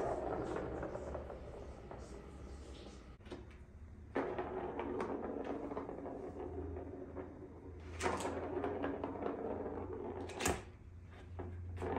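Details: Indoor knocks, thumps and sliding, door-like clatter over a low hum, with sharp bangs near the middle and end and no animal call.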